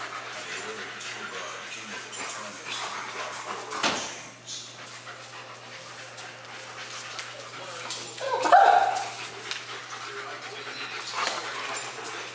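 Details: Two German Shepherds, Max and Ace, playing together on September 14, 2015; a single sharp, tonal bark or yip stands out late in the clip against steady scuffling and rustling, with a few softer noises before it.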